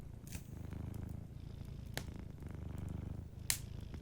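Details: Sleeping cat purring softly beside a warm fireplace: a low, pulsing rumble that swells and fades with each breath, broken by sharp fire crackle pops near the start, middle and end.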